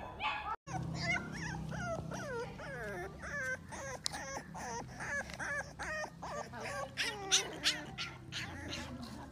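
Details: American Bully puppies of Dax bloodline, males and females, in Hoshiarpur, Punjab, India, giving a rapid stream of high, bending whimpers and yips that overlap with one another over a steady low hum.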